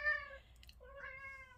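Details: A male Siamese cat in protective mode, watching from his post after hearing or seeing something, gives two harmonic meows: a short falling one, then a longer one that rises and holds.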